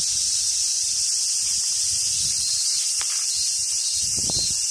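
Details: Constant high cicada drone in summer at the Awaji Island Monkey Center, Hyogo, Japan, with soft rustling, a brief sharp click and a short low squeal near the end.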